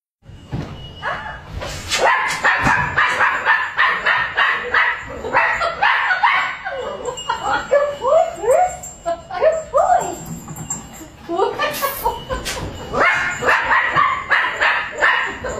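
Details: Dachshund puppy, overprotective of his person and refusing to let anyone come near, giving rapid high-pitched yaps and barks in dense bursts across the whole stretch, with short rising yelps in the middle and a brief pause near the end.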